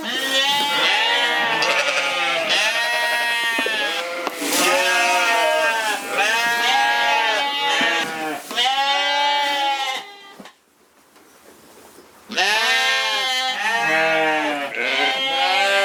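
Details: Flock of Corriedale sheep at a farm in Canada calling almost continuously, a dense chorus of quavering bleats, one after another, broken by a brief lull of about two seconds before the calling resumes.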